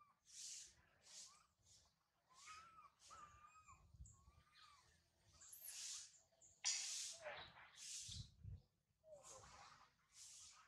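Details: High on a tree, young monkey Sario cries after mother Sarah has left, giving soft wavering whistles and repeated breathy, hissing shrieks, one sharp loud screech near the end, over a faint low background rumble.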